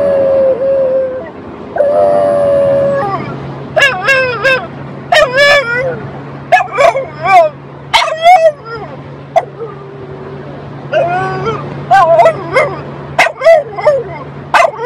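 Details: French Bulldog 'talking' indoors in a loud run of yowling, howl-like vocal phrases, some long and wavering, others short and rising then falling, broken by brief pauses, with a steady low hum underneath.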